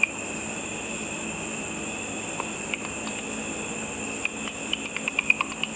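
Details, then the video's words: Bats hunting insects over a lit pool after dark, their ultrasonic echolocation calls made audible by a frequency divider bat detector as dry ticks over a steady hum, quickening toward the end. "A video of bats with audio of the bat calls."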